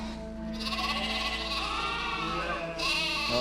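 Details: In Scotland, a lamb that lost its mother in the crush of the flock before shearing bleats with a wavering, quavering voice, calling for her, over steady background music.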